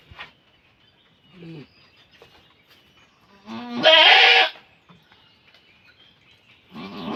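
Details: Goat in labour, one loud, strained, noisy bleat at about 4 seconds, preceded by softer low calls, with another cry beginning at the very end.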